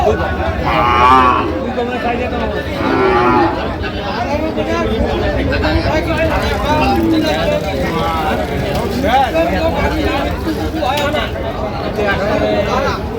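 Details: Cattle at Ambari cattle market on 23 October 2025, where thin, bony cows are on sale: low drawn-out moos rise among constant loud bargaining voices of buyers and sellers.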